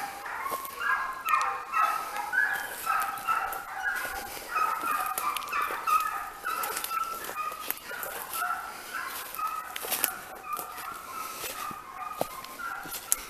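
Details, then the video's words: Segugi Italiani working hare during training, giving a long run of overlapping bays, some drawn out, some clipped, loosely spaced about every half second, with scattered clicks and rustling throughout. "Segugi italiani, addestramento su lepre"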